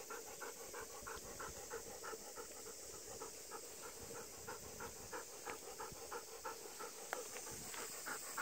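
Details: Rapid rhythmic panting from a Golden Retriever out on a brief ten-minute Obon walk at about 5 pm, dark clouds overhead, thunder rumbling at times; roughly three short breaths each second over a constant background hiss.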